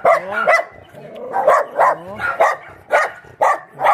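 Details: Shelter dogs at Mindeulle Shelter in Yangsan keep up uneven barking: yelps with rising pitch, a short pause, then strong separate barks at irregular intervals.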